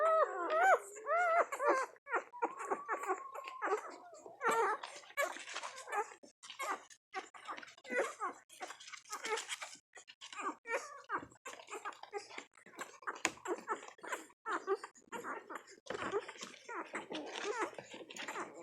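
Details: One-week-old puppies feeding in a nursing frenzy make soft overlapping squeaks, whimpers and brief wavering whines. Scattered snuffling and suckling noises fill the gaps.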